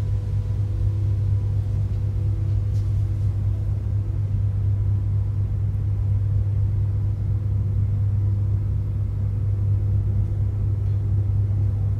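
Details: Continuous deep engine or traffic rumble with a steady low hum throughout; no animal sounds.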